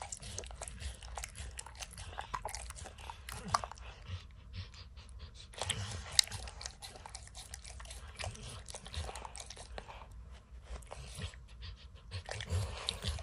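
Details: Dog named Max snacking on peanut butter and kibble from an orange mat, heard as steady wet tongue smacks and scattered crunches, briefly pausing near the tenth second before the licking resumes.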